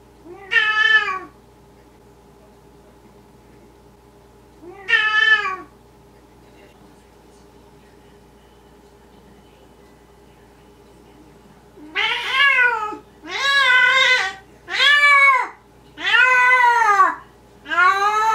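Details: Maine Coon and Siberian kittens meowing: two separate harmonic meows early on, then after a pause a run of five louder, longer meows close together, each arching in pitch, over a faint steady hum indoors.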